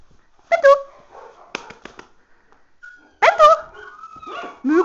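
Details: A puppy barking during play and ball-fetch training, two sharp bursts of barks separated by quieter whimpering sounds, with a person speaking Finnish in between, praising the puppy and asking what is going on out there.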